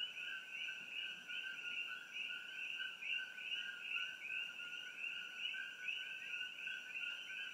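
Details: Coqui frogs, Eleutherodactylus coqui, in treetops along Old Mamalahoa Highway near Hilo, Hawaii, close to the Hawai'i Tropical Botanical Garden, recorded with an iPhone: a dense, continuous chorus of overlapping high chirped notes in two steady bands, pulsing unevenly.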